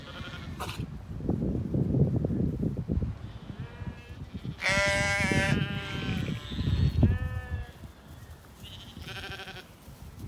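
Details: Ewes and lambs in a blossoming Irish orchard in spring, calling to each other: a long wavering bleat and a shorter one over steady low rustling and footsteps as someone walks among the grazing flock.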